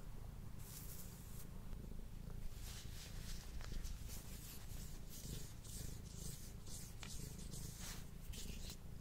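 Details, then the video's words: Pet cat purring as he eats, recorded indoors on a Blue Yeti microphone: a continuous deep purr beneath frequent sharp crunchy clicks of chewing and licking. "Cat Purring and Eating Sounds"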